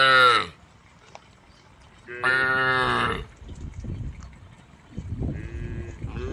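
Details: Tame female cows on a road calling the herd: a moo ending at the start, then a full harmonic moo near the middle and a fainter one toward the close, with scattered background noise.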